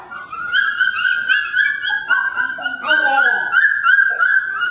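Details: Three-week-old puppies in an expanded pen, crying in high, steady, piping whines repeated about every second, with lower wavering squeals mixed in and a person speaking nearby.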